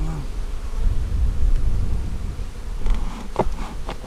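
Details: Honey bees at a hive split made on March 4, inspected on April 15, 2017: a dense, low droning hum fills the recording, with a few brief clicks and taps near the end.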